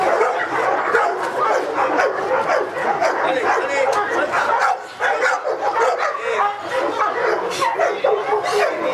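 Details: Felipe de Ironbull, a Presa Canario of King Zulu kennel, barking in an AVD e.V. protection work test; a steady stream of quick, gruff barks over nine seconds, with a voice mixed in and a brief dip near the middle.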